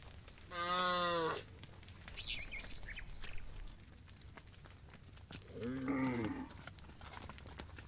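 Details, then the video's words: Livestock cows on their way to the farm pen with shepherds, letting out a strong, steady moo at the start and a softer, wavering moo near the end, with faint higher animal sounds and quiet rural background. "The Sound of Cows Shepherds When Heading to the Farm Pen Livestock Cows, Funny Cow Sounds"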